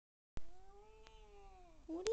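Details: Domestic cat meowing while being scratched, a single soft drawn-out meow that rises slightly and then sinks, with a faint click and quiet room background.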